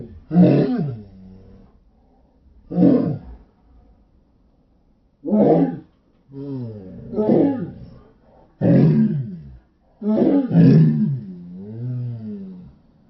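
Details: Several Shetland Sheepdogs howling, slowed down in slow motion: six deep, drawn-out harmonic wails in clusters, each swelling and fading over about a second, with short gaps between and some overlapping voices near the end.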